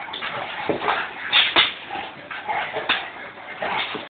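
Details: Two dogs at play, a Staffordshire bull terrier with a Dogue de Bordeaux; short whiny yips and grunting bursts, the loudest pair of sharp squeals near the middle, over constant scuffling noise.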